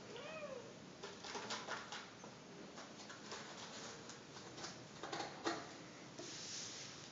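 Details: Ragdoll kittens playing together in a dim room; one gives a brief, high, arched meow, followed by soft rustling and scuffling noises.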